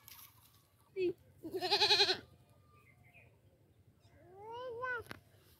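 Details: Kid goats beside a playing human baby; a short yelp, then a strong quavering bleat of about a second, and later a softer rising-and-falling call, over a low steady background hum.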